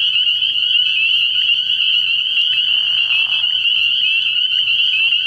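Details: Spring peepers calling in a dense night chorus at a frog pond early in the year: a continuous high, shrill ringing band of overlapping peeps with no pause, and a faint low hum beneath.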